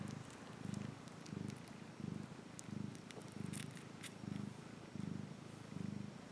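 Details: A cat purring in a deep, even rumble, each breath cycle swelling and fading about every three-quarters of a second, clear and close, with a few soft ticks and rustles above.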